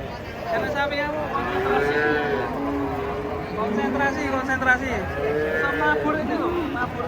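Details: Three giant cattle, raging while unloaded from a truck at a market, call in long, hoarse, rising-and-falling moos that overlap one another, with people talking and shouting and engine noise throughout.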